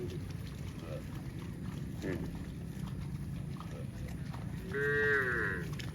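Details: Cows running in the fields, several short harmonic moos scattered through the clip, the loudest a rising, slightly wavering call near the end, over a steady low rumble of hooves and rustling.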